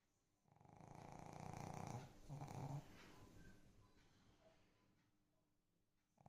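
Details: Pet dog snoring loudly indoors: a long rumbling low snore swelling over about two seconds, then a second rasping breath, fading into softer quiet breathing.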